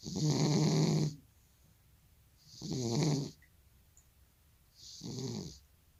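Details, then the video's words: Elderly grandpa cat with sleep apnea snoring while asleep: three rough, rattling snores about a second long each, with airy hiss on top, separated by quiet pauses of roughly a second and a half. "고양이 코골이+수면무호흡증"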